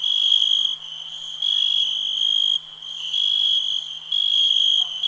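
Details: Continuous high-pitched ringing trill of a cricket, steady in pitch, rising and falling in loudness in bursts lasting about a second, over a quiet, calm nature background.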